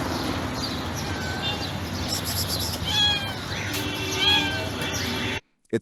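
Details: White stray female domestic cat sitting calmly by trash cans near a building gives a couple of short, soft, gently falling meows with a clear tone, set against steady broadband background noise.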